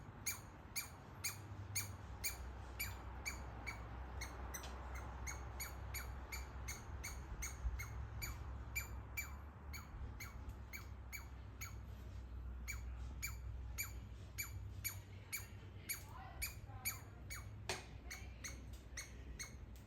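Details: Little squirrel in a walnut tree in a backyard producing rapid laser-like calls: dense streams of falling chirps, at times overlapping and speeding up, with a few longer squeaky notes near the end and steady low background noise.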